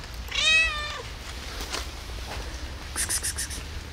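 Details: Hungry lone cat on a rainy day asks for food with one clear, loud, drawn-out meow lasting under a second, rich in harmonics, followed by patter of rain and several sharp drips.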